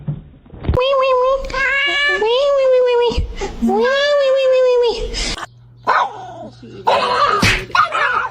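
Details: Domestic cat from a funny pet compilation giving long, drawn-out meows, steady then gently rising and falling, in several bouts, indoors with a person talking nearby.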